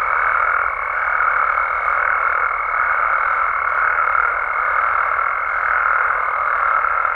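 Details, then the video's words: Continuous nighttime chorus of many frogs and toads in Mexico's amphibian habitats, with a constant high ringing note over the full length and a dense, even bed of overlapping calls beneath. "Mexican Frogs & Toads Sounds"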